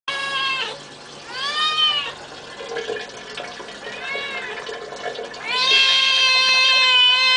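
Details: Domestic cat giving loud, long meows, each a rich harmonic cry bending up then down, the last held nearly two seconds, indoors with little other sound.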